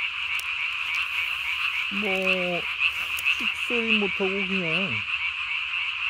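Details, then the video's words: Japanese tree frogs calling at night, recorded 3 May 2020, calling with the vocal sac under the chin puffed up as large as the body: a steady high chorus drone, with two bursts of lower, harmonic, slightly sliding croaks midway. "밤에 우는 청개구리 울음판이 몸통 만큼 크네요?"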